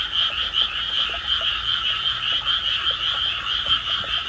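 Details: A dense night chorus of frogs in a park in Tama, Tokyo, on 16 May 2024, many voices overlapping in a continuous high, pulsing trill.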